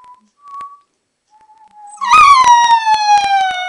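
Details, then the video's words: A two-month-old Alaskan Malamute puppy, playing, gives a thin, high howl that slides gradually downward. "2х месячный щенок маламута"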